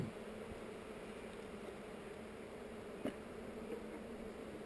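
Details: Continuous low hum of honey bees during a hive inspection among heather, captured on a GoPro, with one sharp click near the end of the steady drone.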